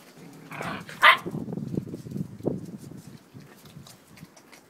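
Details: Eight-week-old puppies of the dog Peppa playing in a garden: low rumbling play growls throughout, broken by one sharp, higher yelp about a second in.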